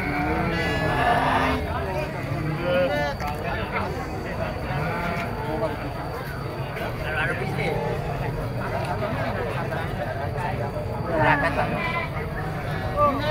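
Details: Kid goats bleat amid the bustle of a goat market; shaky, quavering cries rise at the start and again near eleven seconds, while people talk constantly in the background.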